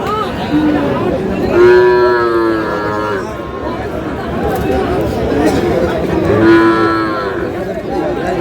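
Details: At a crowded market of Sahiwal bull calves, bought by a farmer from Munshiganj, two drawn-out, steady-pitched lows sound about five seconds apart while traders haggle over prices in the background.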